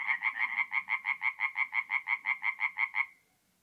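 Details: Tree frog song at night from a forest pond in north-east Italy in mid-April: about eighteen evenly spaced nasal croaks in three seconds, then silence, over a faint low murmur.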